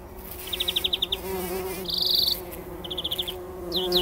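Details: Early-morning bumblebees bathing in pollen inside poppy blossoms before sunrise, 2019; a continuous low buzzing drone runs throughout while songbirds add quick high twittering trills.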